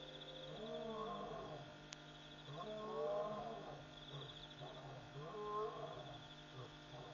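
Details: After midnight at Pete's Pond, Mashatu Game Reserve, Botswana, on 5 August 2014, a lion calls again and again in deep, groaning moans that swell and sag, over a steady hum of night insects.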